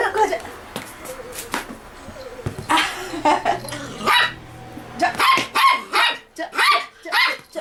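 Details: Toy poodle Da-Ji playing at home: a string of short sharp barks, loudest in the last three seconds and repeated roughly twice a second, mixed with human speech and a few knocks.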